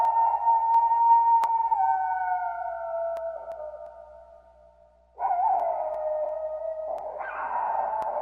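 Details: A gray wolf (Canis lupus) gives two long, drawn-out howls, the first sliding slowly downward and fading away.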